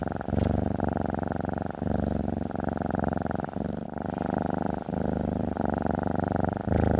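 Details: Low, vibrating purr of a female cat resting on a desk indoors, continuous and close, its rhythmic rumble pulsing in breath-length phases of about one to one and a half seconds with short dips between them.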